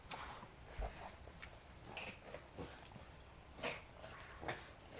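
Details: Adina, a five-month-old female pug puppy, reverse sneezing around 4pm on 9 May 2012 after suddenly running around wildly, breathing with difficulty; broad snorting gasps recur roughly every second in a small indoor room.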